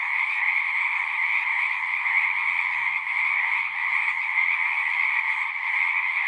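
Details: Many frogs singing together at a horse-pasture pond, captured with a Zoom 6, form a continuous shimmering chorus of bright, overlapping trills at an even loudness. Faint low rumbles sit beneath.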